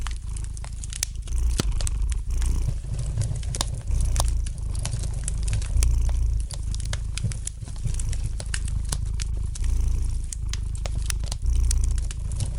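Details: A house cat purrs near a fireplace, its low rumble rising and falling rhythmically with each inhale and exhale, while the fire keeps up a light, irregular crackle of sharp clicks and pops.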